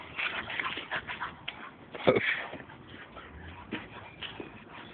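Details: Playful wrestling between friends Nico, a 10-month-old American Pit Bull Terrier, and Sergio, an 8-month-old Staffordshire; short whimpering yips and growly snorts, one louder burst near the middle, with shuffling movement.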